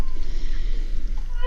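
A humpback whale gives a brief tonal call that sweeps upward over a deep underwater rumble.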